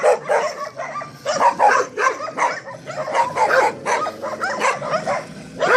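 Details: Staffordshire Terriers yapping steadily, a string of high, clipped barks and yips roughly every half second, with no other sounds.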